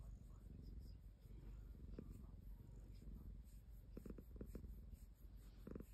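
A ragdoll cat purrs in a low, steady rumble, broken by a few brief pulsing bursts.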